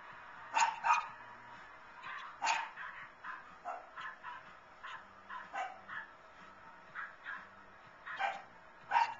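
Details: Lhasa Apso dog excitedly barking while watching the 2011 Puppy Bowl on television; sharp, high yapping barks scattered irregularly, some in quick pairs, over a quieter background of television sound.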